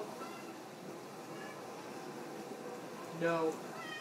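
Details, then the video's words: Overweight pet cat indoors asking for a treat after a boxer pup was given one; a single short, rising-then-falling meow near the end, with people talking softly throughout. "want a treat"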